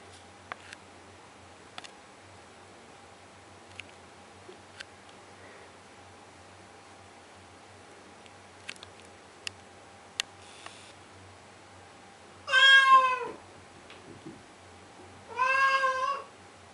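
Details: Blue point Siamese named Henry crying at a door at 2am in a basement under renovation; after a stretch of scattered ticks and clicks, two strong, harmonically rich meows arrive a few seconds apart near the end.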